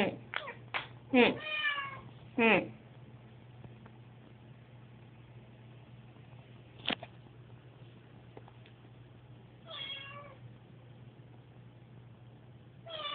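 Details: Susie, a pet cat unsettled by moving day, makes a quick burst of short clipped meows and sharp sounds, then quieter spaced meows over a low hum with occasional clicks.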